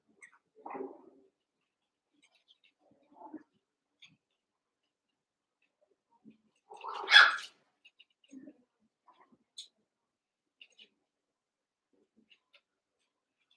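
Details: Cavalier King Charles Spaniel puppies, about seven weeks old, eight littermates wrestling and playing together in an indoor pen; a few short yips and barks scattered across a quiet room, one louder sharp bark near the middle, faint squeaks between.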